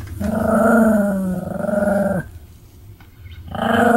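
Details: Pomeranian dog Sam, recorded 7 October 2015, growling. A low, sustained rumbling growl lasts about two seconds, drops away briefly, then starts again.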